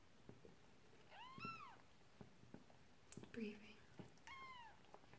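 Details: Marley, a Persian cat, giving birth to kitten number two; two thin arched mews a few seconds apart, mixed with quiet human voices and soft handling noises in a small room.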